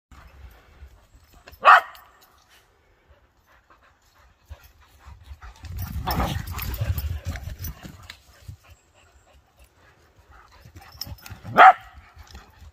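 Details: Excited, jealous whippet: two single sharp, high barks about ten seconds apart, with rustling and low shuffling noise in between.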